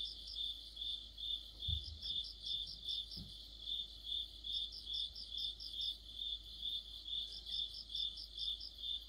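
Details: Crickets and companion insects chorusing in autumn. Steady high chirps come about twice per second for the whole stretch, and two faint low knocks are heard early on.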